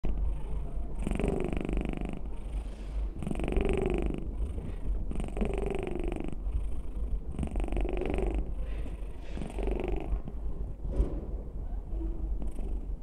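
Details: Six-year-old female domestic cat purring very loudly: a deep, steady rumble throughout, swelling into rougher, louder phases roughly every two seconds with each breath.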